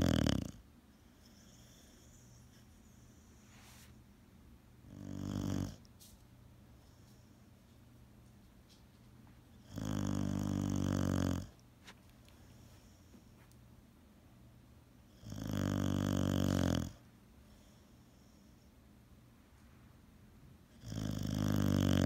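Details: Boxer dog asleep, snoring in long, low, grating breaths roughly every five seconds, four or five snores across the stretch, quiet room between them.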